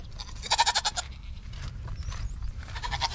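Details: Nigerian Dwarf show goats at a dairy ranch: one loud, quavering bleat followed by softer, shorter bleats from other goats against low background rumble.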